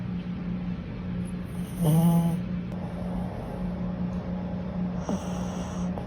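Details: Sleeping Chihuahua puppy snoring: a low rasping snort with a buzzy rattle near two seconds, then a fainter one near five seconds, over a steady low electrical hum and soft hiss.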